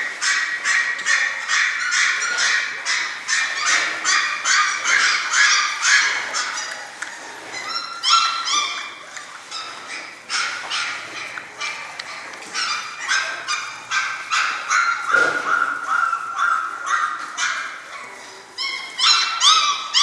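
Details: Six-week-old German Shorthaired Pointer litter, the Sevens, keeps up a steady overlapping chorus of shrill yelps and whimpers, several pups calling at once in rapid bursts that swell and fade throughout.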